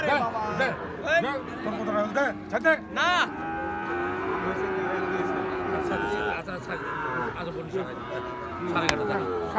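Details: At Ambari livestock haat, where Gir and Sahiwal bull calves are being sold, a prolonged low moo stretches for several seconds after bursts of lively talk, with crowd murmur and a sharp click near the end.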